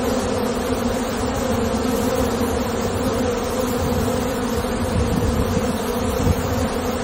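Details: Massed buzzing of honey bees in the hive, a thick continuous drone with a steady low pitch and a slight rumble beneath, unchanging throughout with no gaps or other voices.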